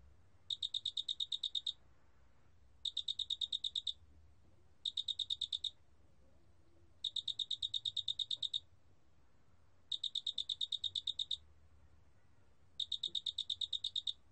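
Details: Korean big mottled cricket, recorded in 2020, repeating short high trills of fast, evenly spaced pulses. The six bursts come at slightly uneven gaps of about 2 seconds. The background is otherwise near silent apart from a soft low hum.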